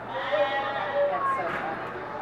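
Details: Reston Zoo piglets, only days old from two fresh litters, squealing in a pen with thin harmonic wavering cries repeating through the moment, mixed with people chatting in the background.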